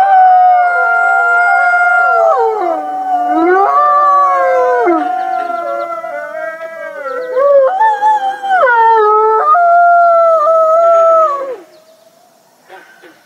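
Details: Chorus of captive gray wolves at the Wolf Conservation Center, South Salem, New York: many overlapping howls, wavering and dipping, with abrupt pitch jumps between voices, fading to near quiet in the last seconds.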